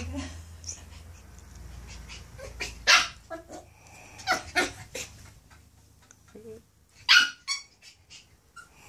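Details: Maltese x poodle puppy, 9 weeks old, named Toby, reacting to seeing himself in a mirror for the first time: short broadband bursts of yips and growly sounds scattered across the clip, with quiet gaps between.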